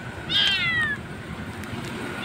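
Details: A lone roadside kitten, thought abandoned or separated from its mother, gives one loud, high wailing meow that slides downward, then quiet traffic rumble continues during the rescue.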